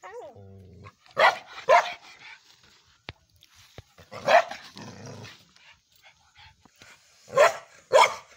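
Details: Indian Spitz barking: sharp, high single barks given in pairs, two near the start, one in the middle and a final quick double, with short whimpering sounds and quiet pauses between.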